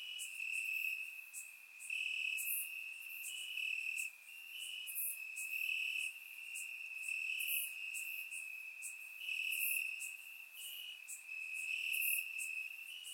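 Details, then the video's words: Crickets chirping in grass on a warm summer night in Bulgaria, recorded with a surround microphone: a steady high trill with louder pulsing bursts every second or so, and faint higher ticks above. "Cricket Sounds - Crickets Chirping at Night"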